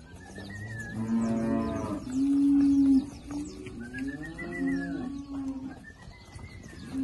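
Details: Girolando heifers from a herd of 40 bred young heifers with a young Girolando bull, Passos, Minas Gerais, Brazil; two drawn-out, rich lowing moos, the second swelling and falling, with thin whistled bird chirps overhead.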